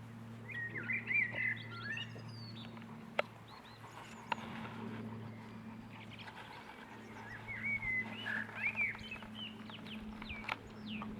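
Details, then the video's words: Squealing Boston Terrier puppies aged six weeks: high, twisting whimpers come in two lively bursts, early and again after seven seconds, with sharp clicks and a low electrical-sounding hum underneath. "boston puppies 6 weeks"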